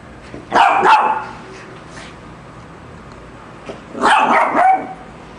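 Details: Barking Lhasa Apso facing a shark: a loud doubled bark, a quiet gap of nearly three seconds, then another rapid cluster of two or three sharp barks.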